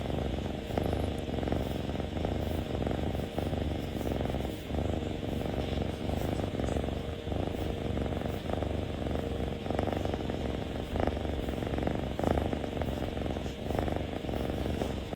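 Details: A kitten purring with its face pressed close, a steady low rumbling purr continuing throughout, with soft rhythmic pulses and faint background noise.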